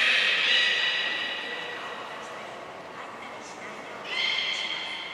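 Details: Beluga at Port of Nagoya Public Aquarium during a brief training session on 25 July 2021. A sustained, harmonic, slightly rising whistle fades over two seconds, then a second bright tonal call starts near the end, with indoor room echo.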